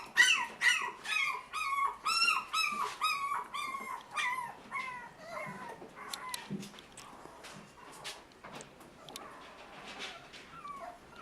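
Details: Toy Poodle puppies from a Tokyo breeder, producing a rapid series of high, arched whines about twice per second, clear at first then fading into softer, scattered yelps and whimpers.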